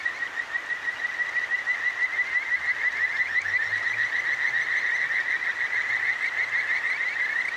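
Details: Recorded with a ZOOM H6 at the Akigawa Valley in Tokyo, Kajika frogs call at night from a clear stream: a steady band of high, bright, fast-repeating trills over rushing water, with a faint low hum underneath.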